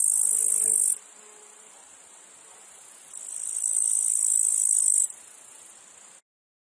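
A high, steady insect buzz from cicadas, swelling and fading in two loud bursts.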